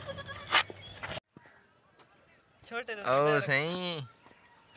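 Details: Baby goats hungry and looking for milk: after a man's voice in Hindi and a brief pause, one long quavering, warbling bleat rises and falls for over a second, loud and nasal, over low background noise.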